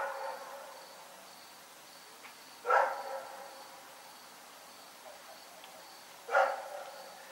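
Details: Rex, a dog barking during the night in Pyrga, gives two short, sharp single barks about three and a half seconds apart over a quiet background hum.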